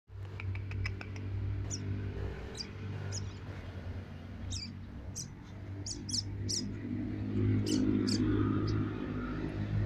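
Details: Tame two-month-old baby Asian palm civet giving short, sharp, high squeaks in quick irregular bursts, some clustered closely, others spaced about a second apart, over a steady low hum.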